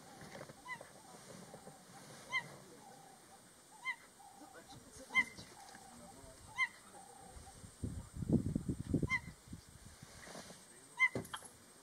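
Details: A cheetah, which cannot roar, gives its soft call: short, high, bird-like chirps, repeated roughly every one to two seconds; Cheetah.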